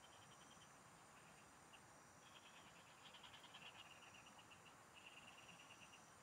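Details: Frogs calling in farm fields while someone fishes nearby. Short trains of quick, high-pitched pulsed trills stop and start, sometimes overlapping. Thin continuous insect tones and broad background hiss sit beneath.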